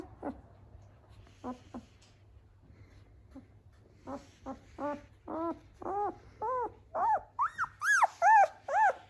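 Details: A 10-day-old European Doberman puppy at a Vancouver, BC kennel gives soft sparse squeaks that build into a rapid run of loud, rising-falling whines, growing higher and more insistent toward the end, indoors in a quiet room.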